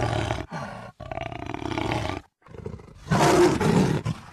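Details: Roars from a jaguar, 2013 recording: four deep, rough, breathy bursts in quick succession, the last one loudest and most strained.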